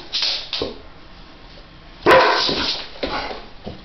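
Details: A pet dog barks at its own mirror image: a few sharp barks, one early, a loud burst of barking after a pause, then softer follow-up barks.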